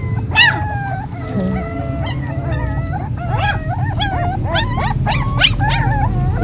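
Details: A litter of hungry puppies crying before feeding, a steady chorus of short squeaky yips and bending whines, denser and louder toward the end, with low background hum.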